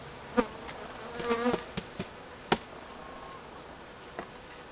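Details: Honeybees at a home apiary in Romania on 3 November, from a colony holding about five frames of bees: short buzzing passes with a low harmonic hum, broken by sharp knocks and clicks from hive handling.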